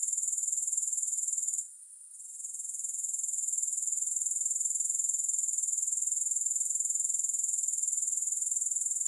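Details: Grasshoppers keep up a sharp, high-pitched pulsing drone that briefly fades and muffles around the second mark, then returns to a steady, rapid chirr.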